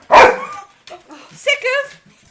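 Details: A hungry female dog begging for her dinner lets out one loud, sharp bark followed by softer whining, with a person speaking nearby in a small room.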